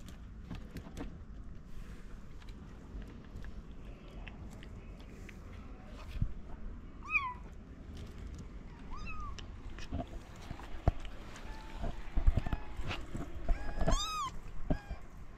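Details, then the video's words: Gentle food-begging meows from a stray mother cat in Morocco with sleeping kittens: several short, arched, slightly nasal meows spaced a few seconds apart in the second half, among clicks and rustling, followed by a man speaking. "The poor mother cat meows gently asking for food while her kittens are sleeping"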